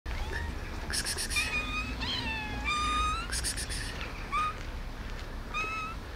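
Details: Hungry street cats meowing outdoors, several overlapping calls: drawn-out, bending meows that rise and fall, some short and high, others longer and lower, coming every second or so over a steady low background rumble.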